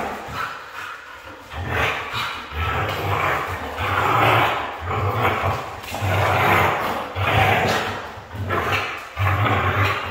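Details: A red female Siberian husky vocalizes in a steady string of loud, drawn-out, somewhat hoarse bursts, about one per second, each swelling and fading, mixing a low grumble with brighter, whining overtones.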